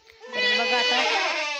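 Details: Goat on a goat farm during a delivery, bleating in a loud, sustained, wavering tone that holds for over a second with a rich, buzzy harmonic quality.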